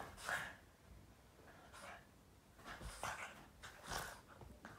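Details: A Boston Terrier playing with its owner's foot makes funny noises: short, rough barks and snorting grunts in brief bursts.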